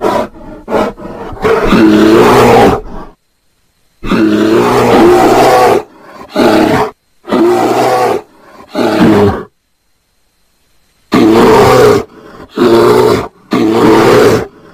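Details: Mating bear roaring in heavy, raspy bursts of one to two seconds, separated by abrupt silent gaps, roughly two dozen calls a minute in an irregular rhythm.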